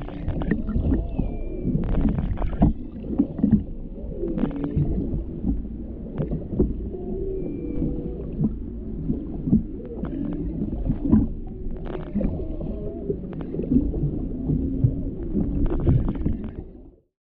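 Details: Humpback mother and calf underwater: repeated curving moans, some rising and dipping in pitch, sound over a constant bed of crackling clicks and bubbly water, with loud clicking bursts, before the sound cuts off abruptly at the end.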